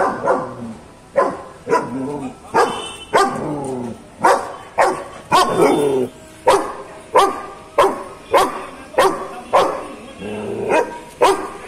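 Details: Guarding female German Shepherd barking hard and loud, roughly seventeen sharp, abrupt barks repeated about every two-thirds of a second in a steady aggressive series, with brief pauses between short bursts.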